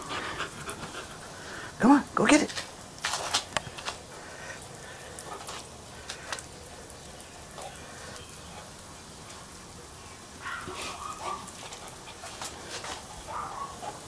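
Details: Little Bubba, an 18-week-old puppy, plays in a sprinkler. His breathy panting comes as uneven hissing bursts, with two louder bursts near the two-second mark. Steady spraying water and outdoor noise run under the whole recording.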